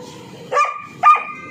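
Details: Street dogs confronting a Rottweiler and two German shepherds out on a walk: two sharp, harmonic barks about half a second apart over a low murmur of background noise.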